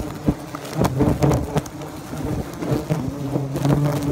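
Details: Bald-faced hornets at a nest being removed from the soffit of a home in Great Neck, Nassau County, Long Island, New York; a low, steady, wavering droning buzz holds throughout, broken by repeated knocks and clattering handling noise.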